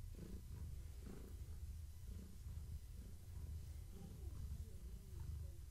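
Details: Gaia, a long-haired tabby domestic cat heavily pregnant with kittens, purring while being petted and scratched in the evening; a low, steady rumbling purr that swells and fades with each breath, roughly once per second.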